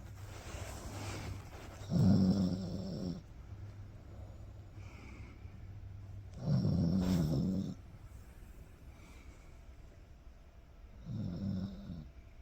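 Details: Cocker Spaniel named Toto napping alongside dad, snoring: three low, rumbling snore bursts about four to five seconds apart, each lasting roughly a second, over a steady low hum between breaths.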